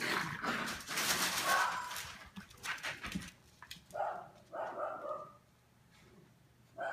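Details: Eleven-week-old Australian Terrier puppies playing in their kennel, nearly ready for new homes: a burst of scuffling noise, then several short, mid-pitched yips and whines in an irregular run, fading to quiet.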